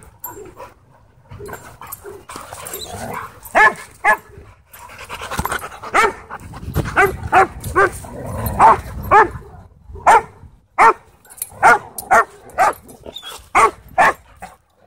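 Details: Husky playing with and taking on other dogs at a dog park; short harmonic barks and yips repeat roughly every half second to second, growing denser toward the end, over a background of panting and scuffling.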